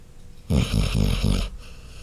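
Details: Snoring dog Chloe gives a single rattling snore lasting about a second, made of four quick throaty pulses, low-pitched, with near silence before and after.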